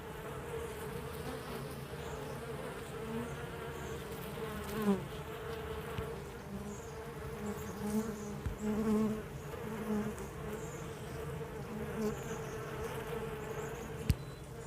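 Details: A beehive interior on day 30 gives a dense, steady buzzing drone. Soft, low pulsing notes rise and fall through the middle of the clip, and a sharp knock comes near the end.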